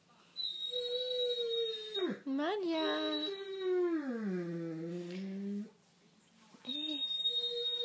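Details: Indoor Great Dane Malia wails after her owner leaves, one long mournful note that slides steadily downward and then fades, with a woman quietly speaking French to calm the female dog.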